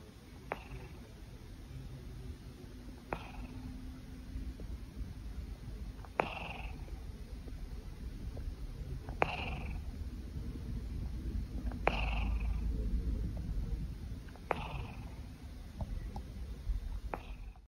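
A Siamese cat purrs in a continuous low, rumbling drone. Brief high chirping sounds cut through it roughly every three seconds, each a quick upward flick.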